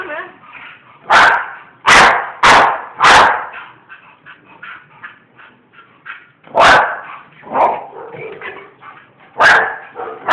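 A Bull Terrier gives loud, sharp barks, some in quick pairs, separated by quieter stretches.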